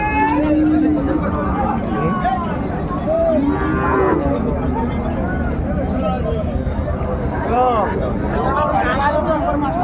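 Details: Sahiwal bull at the Ambari cattle market in Dinajpur, Bangladesh, on 13 December 2024: a low, steady moo held for about a second opens the recording, with crowd chatter and voices throughout.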